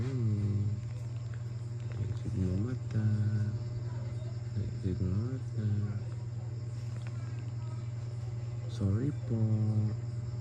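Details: Storm, a pet Persian cat, gives a series of short, tonal meows, each bending upward then dropping, spaced irregularly over ten seconds above a constant low electrical hum.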